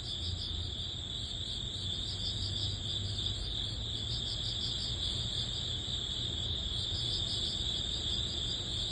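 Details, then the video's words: Early autumn grass insects, crickets calling at the end of summer: a dense high ringing band with rhythmic pulsed chirps repeating about three times a second, constant low background hum. "초가을 풀벌레_ 백색소음_ Cricket sound"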